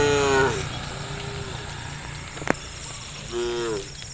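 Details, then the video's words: Hundreds of tame cows running together along village forest interior roads; two short harmonic moos open and close the clip, separated by a quiet gap with one sharp click, over a steady high insect drone. "Hundreds of tame cows ran together through the village forest interior roads, the sound of cows"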